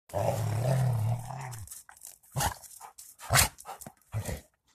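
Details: Rottweilers warming up: a long, deep rumbling growl for about one and a half seconds, then short broken growls and huffs with pauses between them.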